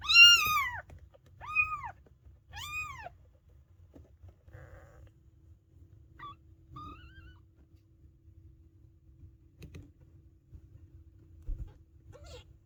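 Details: Maine Coon kittens only a few days old, piling up together: three clear arched mews in the first three seconds, then mostly quiet with faint, scattered squeaks and a low background hum.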